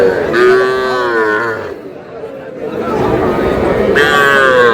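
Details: Cumilla cattle market on 21 July, where small bulls and heifer calves are traded: two loud, sustained moos with strong bright harmonics, one at the start and one at the end, separated by a quieter gap of murmuring voices.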